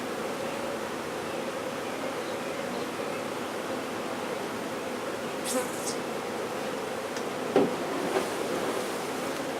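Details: Honey bee swarm being removed and relocated in Brownsville, Texas: a steady, dense, low droning hum from many bees with no break, marked by a few brief sharp knocks and clicks from the handling near the end.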